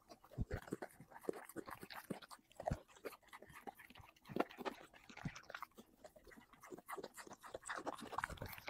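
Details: Dog mukbang of chicken and vegetables: heavy, thudding chews and crunches, deeper in tone, with some breathy mouth noises between irregular louder bites.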